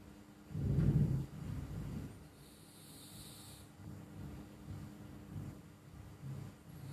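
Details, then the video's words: Flo, a pet cat, snoring while asleep: a deep, low rumbling breath swells loudly for about a second, then fades into soft, uneven low pulses, with a faint high hiss briefly in the background. "Suara Kucing Mendengkur"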